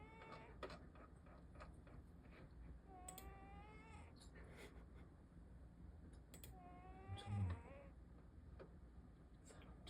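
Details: Cat asleep and snoring, low breathy rumble underneath recurring whistling upward-sliding tones every few seconds, with a brief louder bump near the end and small scattered clicks.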